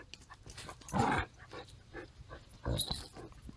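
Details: Woody, a playful Basenji mix about one year old in foster care, gives two short yodel-like vocal bursts with smaller yips between them; music plays faintly.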